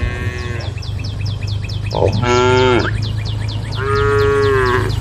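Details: Group of tame female cows calling out to a herd of angry cows; three rich harmonic moos, the middle one loudest and bending downward, the last held steadily for about a second, with constant low hum and repeated high chirps throughout.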